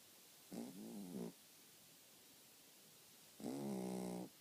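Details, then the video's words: Dog snoring in its sleep, two low, buzzy droning snores about three seconds apart, the first wavering in pitch, the second steadier and a little louder, with quiet breathing gaps between. "my dog snoring"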